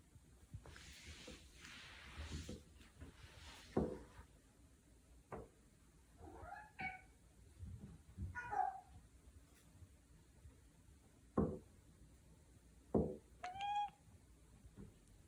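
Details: Indoor domestic cat chattering, the odd sound made on spotting prey: scattered short stuttering chirps with clicky bursts, one bright harmonic chirp near the end, amid quiet room noise.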